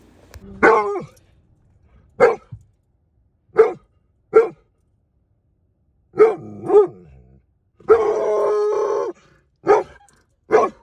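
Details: Giant Schnauzer puppies in confidence and obedience training out in public amid distractions: sharp, harmonic barks at irregular intervals, one longer drawn-out yelp-like bark in the middle, quiet between.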